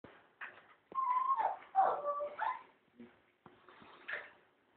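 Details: German Shepherd puppies giving soft, high, tonal whines and whimpers in short bursts, some drawn out and wavering, others brief, with quiet gaps between them in a small indoor space.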